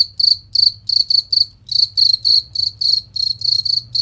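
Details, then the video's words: Clear, piercing cricket chirps for tutoring competition songbirds: short pulsed trills delivered in somewhat uneven runs of two or three, separated by brief pauses, over a soft low hum. "Masteran Jangkrik Suara Jernih Nyaring dan Kristal"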